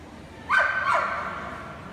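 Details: Golden Retriever letting out two quick, sharp barks roughly half a second apart, each with a bright, harmonic bite, over a low steady background hum.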